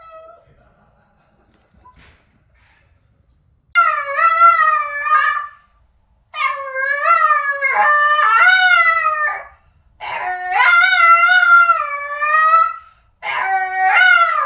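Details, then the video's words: After near silence, the vocal Boston terrier Boston breaks into four long wavering howls of one to three seconds each, bending up and down in pitch with rich overtones, separated by short gaps, in a small room. "Singing Boston Terrier Montage"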